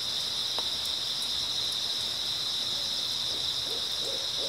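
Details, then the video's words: Grass insects fill an early autumn night with a continuous shrill chirping hum; a few scattered clicks and a handful of low hooting notes appear toward the end. "백색소음 풀벌레 소리"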